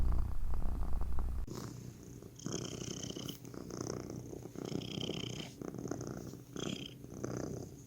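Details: Cat purring, a soft, low, continuous rumble with rapid pulsing, overlaid by faint rustling and a few brief higher scratchy sounds.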